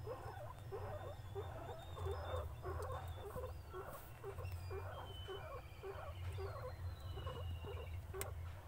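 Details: Pet guinea pig feeding happily: steady, evenly spaced crunching bites, roughly two to three per second, continuing throughout over a low background rumble with faint high whistling tones.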